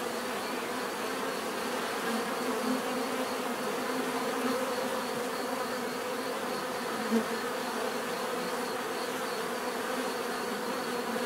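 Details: Unbroken bee buzzing, a dense humming drone with a few individual insects briefly passing louder, and a faint tick near the end.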